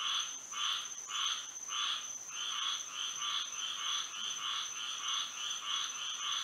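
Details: Frogs singing on a moonlit Florida night: a chorus of short croaking bursts, each with a low and a higher layer, repeated in a steady pulse about twice per second, over a constant thin high-pitched whine.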